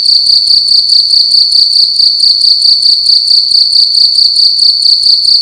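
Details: At night in a room, a cricket gives a loud, piercing chirp, rapid pulses strung into a steady high trill, slightly faster pulsing here, nothing else audible.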